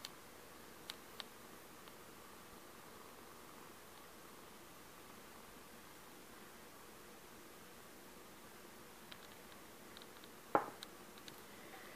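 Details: A quiet indoor room with a faint steady hiss, a few soft ticks and rustles, and one sharp click near the end.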